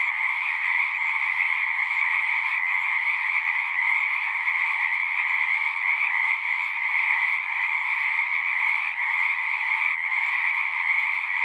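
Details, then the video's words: At a pond in a horse pasture, many frogs sing at once, recorded with a Zoom 6; shrill overlapping trills form a dense, unvarying chorus, with a faint low hum early on. "Frogs singing"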